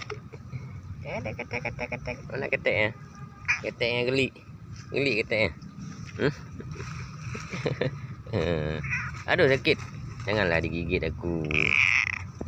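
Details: A cat described as clever and able to 'talk' gives a run of drawn-out, wavering meows that bend up and down in pitch, some in quick bursts, mixed with human speech and background music.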